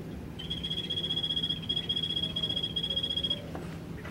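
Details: Phyllobates vittatus, the Golfodulcean poison frog, kept in the Old Zoo in Poznań, gives a single three-second trill of rapid, regular high clicks forming a thin buzz, with a low hum beneath.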